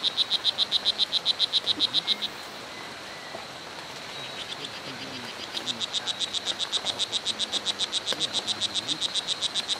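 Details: Strawberry poison dart frog, O. pumilio, Costa Rica's Hitoy Cerere reserve: bursts of rapid high buzzy chirps, a pause of about three seconds with quieter distant notes, then a long steady chirp series resumes.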